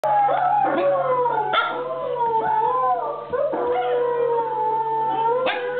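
Huskies howl together in long, wavering tones that slide up and down and overlap.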